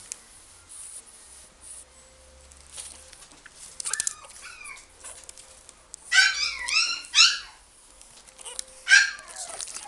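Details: A pug in a pet shop gives high, wavering whimpers and whines in short bursts, rising and falling in pitch.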